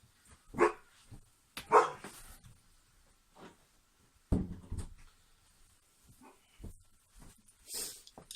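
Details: Household dog barking indoors with a cat in the same room, the two animals hostile to each other; two sharp barks close together early on, a lower rough burst later, a few fainter sounds and rustling between.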